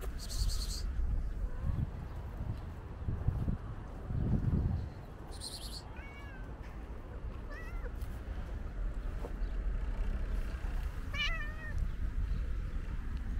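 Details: Stray tuxedo cat, energetic, jumping up and grabbing a leg while being fed, gives several short rising-falling meows in the second half, each with bright stacked harmonics, over steady low outdoor rumble and occasional rustling.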